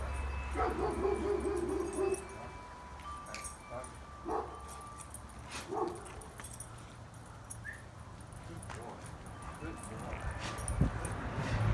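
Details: Pet dog Max barks at a toy squirrel held up behind the fence: a few short, sharp barks spaced a second or more apart, mixed with a man's voice praising him as a good boy.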